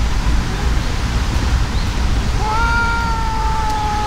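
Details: Brown tabby-and-white cat, furious in a fight with a brown tabby cat that cannot hold its own. A single drawn-out, steady yowl begins midway and holds level to the end. A constant low rumble of background noise runs underneath.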